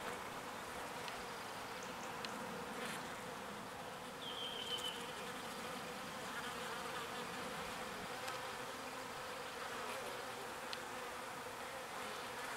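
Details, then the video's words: A swarm of small bees foraging pollen and bringing it back to their hive produces a steady droning buzz; a short faint whistled tone appears midway and a few soft clicks punctuate the hum. "Petite Abeilles qui butine le pollen"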